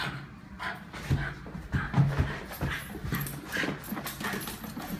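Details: Berkeley, a pet Lakeland Terrier, excited as the owner walks back into the room indoors: low, buzzing grunt-whines in short bursts around one and two seconds, with snuffling breaths and scrabbling, clattering movement noise throughout.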